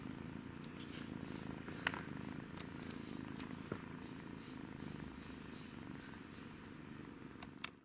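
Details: Playing kitten gives a continuous, even purr, a low droning rumble without breaks, over a few faint taps and rustles in a small room.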